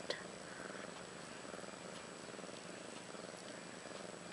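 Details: Mother cat Ashley, roughly one year old, purrs with her two newborn daughters Maggie and Rose, born 30 March 2013. The low, even purr throbs continuously, with one faint click near the start.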